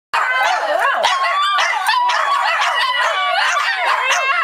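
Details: Several Shih Tzu dogs howling together in a group, singing along; overlapping wavering, whining howls with rising and falling pitch, continuous and loud throughout.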